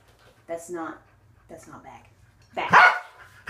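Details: Waffle, a male Corgi, indoors during an unedited training session with leg-extension and conditioning exercises; a person's spoken words come first, then one loud, harsh, broadband bark rings out near the end.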